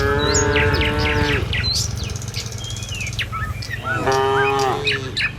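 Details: Village cattle walking the road to their pen in the morning; a long, steady moo opens, a quieter gap follows with bird chirps, then another flat, sustained moo, over low rumbling background noise.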